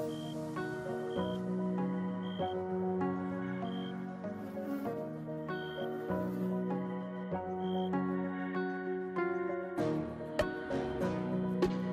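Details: Soft ambient new-age music with sustained tones and a recurring high chime, plus a few faint clicks, and no audible insect buzzing.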